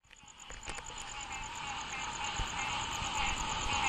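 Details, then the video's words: A dense chorus of green treefrogs (Dryophytes cinerea), nasal honking calls overlapping into a steady roar, recorded in Marrero, Jefferson Parish, on 29 April 2016. "Dryophytes cinerea (Green Treefrog)"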